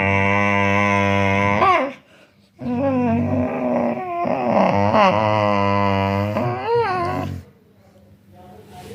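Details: A rescued dog giving long, wavering howling cries that bend up and down in pitch, two sustained stretches broken by a short silence, with quiet room sound afterwards.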